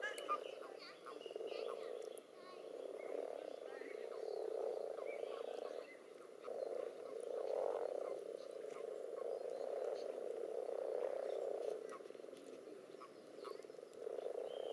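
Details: Pond spawning gathering of common toads mixed with several frog species, crowding one another in the water: rumbling, pulsed trills in overlapping bursts with short gaps between, plus scattered clicks and background interference.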